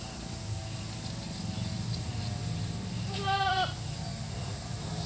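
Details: Goat at its shelter hut giving a single short, wavering bleat over a steady low hum and background noise.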